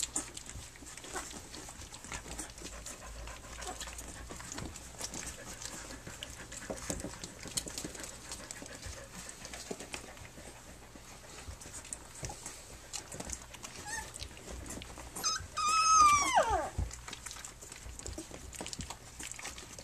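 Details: Flute's three-week-old puppies nursing and playing on their three-week birthday: steady soft breathy panting and rustling throughout, then one loud whining squeal with stacked harmonics, rising and falling, about three-quarters of the way in.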